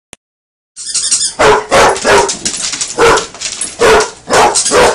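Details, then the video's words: Basset Hound named Buster barking while playing with a toy alligator, loud broad barks repeating roughly twice per second after a brief silent start, with some fainter noise between barks. "basset hound barking and playing with toy alligator"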